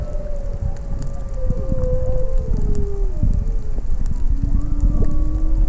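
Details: Humpback whale (Megaptera novaeangliae) song recorded underwater off Maui near a sea turtle: long, sliding moans that fall slowly, then rise, over a rumbling underwater wash.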